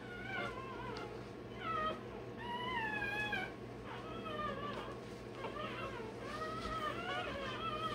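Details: Day-old Rottweiler puppy during tail and dewclaw docking, giving a steady run of thin, wavering whines. About ten short cries are spread over eight seconds, each sliding up and down, over a constant low hum.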